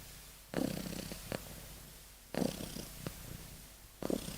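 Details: A kitten in deep sleep snoring softly indoors: low breathy rasping snores arriving about every two seconds, with quiet pauses between breaths.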